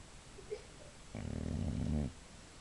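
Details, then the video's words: Boxer bitch sound asleep, snoring once: a low, gravelly inhale close to a second long after a faint squeak, ending with a fluttering rattle, quiet indoor background. "boxer snoring"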